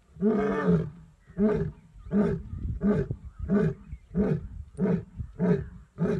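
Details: Asiatic lion at Gir National Park giving a series of deep, grunting roar pulses, each about half a second long, repeated roughly every 0.7 seconds and slowly fading in strength.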